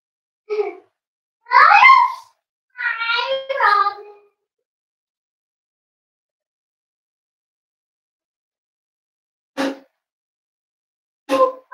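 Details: Cavalier King Charles Spaniel puppies almost eight weeks old, indoors at a family home: a burst of high, wavering, whiny yelps rising and falling over about three seconds, then silence broken by a few short taps.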